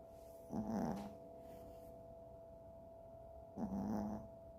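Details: Sleeping Chihuahua named Freja gives two raspy, rattling snores about three seconds apart, each half a second long, against a constant background hum.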